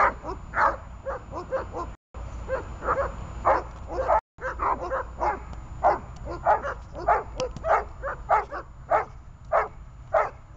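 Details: A dog named Runa in guard training, holding and barking at a target: sharp, loud barks repeated in quick bursts, about one and a half per second, with short pauses and low background hum.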